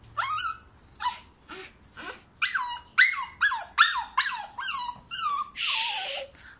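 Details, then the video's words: Toy poodle puppy begging to be taken out to play; a rapid series of about a dozen high, falling whimpers and yelps, roughly two or three a second, ending in one longer strained whine, indoors. "Chubby Cute Toy Poodle Puppy Begs Owner to Bring her out to play"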